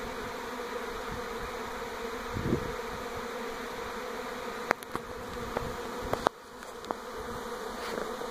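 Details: In NE Portland in 2018 a honey bee swarm moves from its old hive to a new one by a home; continuous buzzing drone with a brief louder whoosh and several sharp clicks and taps in the second half.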